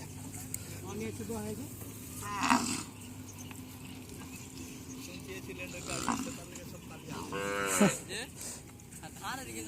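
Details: Deshi cows at a cattle market on a Padma char near the India–Bangladesh border give three loud, drawn-out moos spaced a few seconds apart, the last one longest, over steady background talk and bustle.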